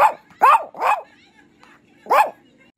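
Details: Chihuahua named Frida, urged in Spanish to say good night, answers with short, sharp, rasping barks: three in quick succession within the first second, a pause, then one more, over a low steady hum.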